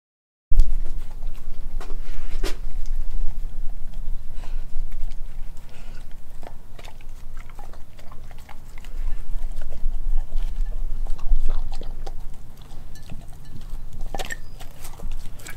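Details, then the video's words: Nala, an Australian Kelpie German Shepherd mix, eats raw beef liver, beef heart, chicken feet and chicken thigh. Wet, irregular chewing and smacking fill the clip, broken by sharp crunching bites every second or two. "ASMR Eating Raw Meats"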